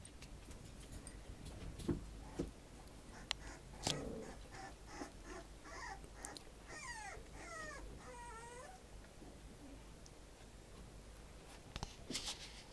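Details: Female puppy, third of her litter, filmed indoors at 40 days old on July 12; in the middle come thin, wavering high whimpers that rise and fall in quick succession, among scattered clicks and knocks.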